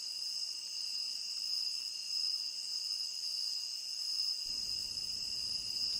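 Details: Steady high-pitched cricket trilling from a tropical rain forest, several constant bands without pause; near the end a low rumbling noise comes in beneath the chorus.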